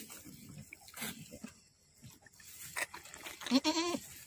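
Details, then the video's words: Boer goat delivering twin kids in Aceh, Indonesia: low rustling and soft noises, then a brief, strained, buzzy bleat rising near the end. "Lahiran anak kembar kambing Boer"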